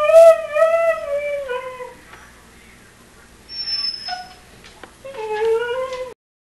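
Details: Dog named Juno whining indoors, eager for a run after running shoes are put on: long, strong, slightly wavering high whines that dip and fall, a short pause, then another sustained whine, with a person talking nearby.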